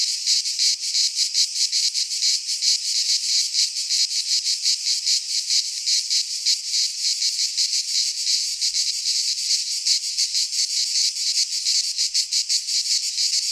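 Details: Greek pine forest cicadas in midsummer chorus: a harsh, high, unbroken rasping buzz that throbs rapidly and steadily throughout, a faint low rumble near the end.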